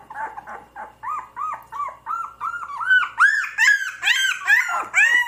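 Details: Puppies cry in evenly spaced, arched whines, roughly two or three per second, starting soft and low and building into louder, higher, squealing yelps by the end.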